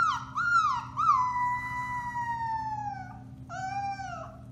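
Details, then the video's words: Alaskan Malamute puppies aged four weeks, Bema and Cole litter, March 30, 2021, give a few quick wavering yelps, then one long, slowly falling howl lasting about two seconds, followed by another brief cry. "Alaskan Malamutes: Bema & Cole Litter, March 30, 2021: Puppy Howling, 4-weeks old"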